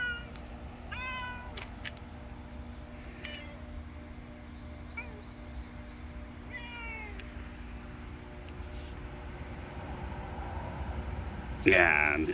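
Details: A contented cat after eating, making unusual sounds: short, trilling, wavering meows at intervals through the first seven seconds, then a louder, rough cry near the end, with a constant low hum underneath.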